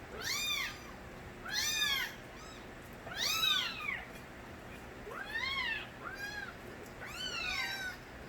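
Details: Crying of stray kittens, Nabi's young: sharp, high arched mews with strong harmonics, coming singly or in pairs roughly every one to two seconds, some fainter voices between the louder calls.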